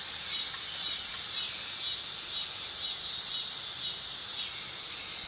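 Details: Loud, sizzling buzz of a dog-day cicada, steady and high-pitched, rising and falling slightly in even pulses about every half second throughout.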